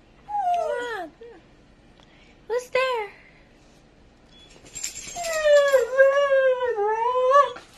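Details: Pet Samoyed, kept indoors with a St. Bernard, excited to go out after hearing its owner's voice on a phone call. Three bursts of wavering, moaning, howl-like 'talking', the last drawn out over about two and a half seconds.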